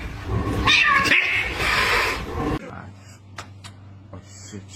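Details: Domestic cat giving a loud, drawn-out wailing caterwaul for about two seconds, harsh and strained, mixed with talking voices, then a quieter stretch with a low steady hum and a few brief clicks.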